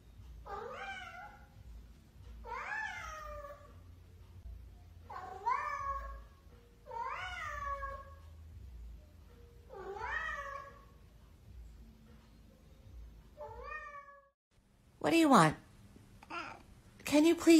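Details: Talking cat repeating a series of loud, bending meows, each rising then falling, roughly every two seconds, followed by a few sharp knocks and a harsher sound at the end.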